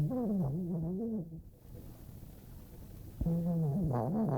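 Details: Sleeping female pet dog snoring; two low, droning, tonal snores with a wobbling pitch are separated by a quieter pause of about two seconds, as she breathes between them.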